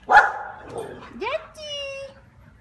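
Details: Kiefer, a neighbour's dog alone all day who visits to play, lets out a loud bark, then a quick upward-sliding whine settling into a steady, sustained tone that tapers off.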